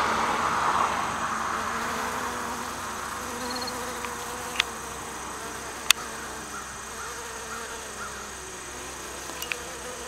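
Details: Honey bees and bumble bees foraging on anise hyssop flowers: a low, wavering buzz rises and falls as the insects move between blooms, with a few sharp clicks in the background.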